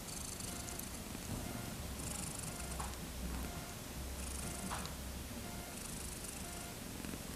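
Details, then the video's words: Thirteen-day-old kittens born on 31 August 2014, wanting to play: low, steady purring rumbles in long stretches, while faint high tones and soft background music repeat throughout. "生後１３日目の子猫たち 遊びた～い"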